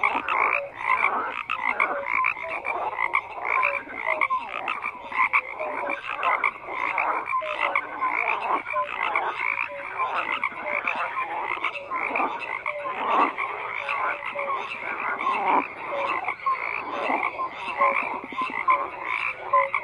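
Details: Continuous frog chorus of croaking calls, a steady wall of pulsed, overlapping voices with short tonal notes scattered throughout, loudness flickering constantly.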